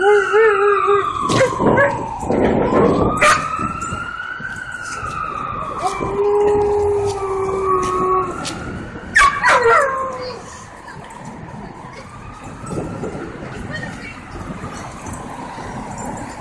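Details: In New York City a dog howls, distressed by a loud passing siren; drawn-out tonal howls rise and fall, mixed with the siren's sweeping wail, sharp clicks and city street noise.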